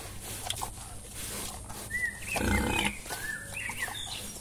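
A wild boar gives rough grunts and a few short, high squeals against an outdoor background.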